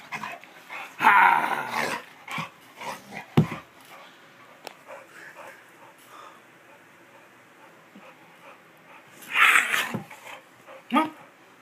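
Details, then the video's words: Winston the bulldog at play, giving short rough growling bursts and a couple of louder gruff barks near the start and again near the end, with quieter snuffling and scuffling between. "Bulldog at play!"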